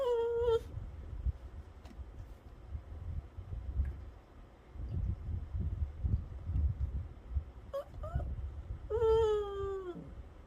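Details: Pet dog at snack time indoors giving a few drawn-out, high whining whimpers that slide downward, one near the start, a short one around eight seconds and a longer one near the end, with low room rumble between.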